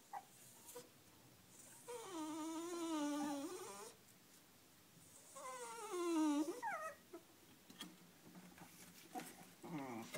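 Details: A Toy Poodle puppy born in January whines in drawn-out, quavering notes of about two seconds, sliding up and down, with brief higher yips between, while interacting with a man whose voice is heard briefly.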